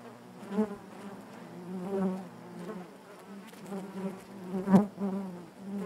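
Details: Low, throbbing buzz of honey bees within their hive, many wings humming together while single bees rise and fade in bursts, one loud close pass near the end.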